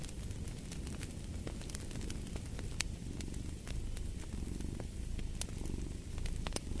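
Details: Steady low purring rumble from a cat beneath a busy layer of fireplace crackling and popping, the fire sounds dense and frequent.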